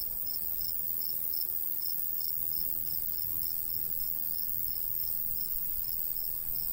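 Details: Summertime countryside crickets near a golden wheat field, rapid evenly spaced high chirps running throughout, layered over a constant high buzz and a low wind murmur.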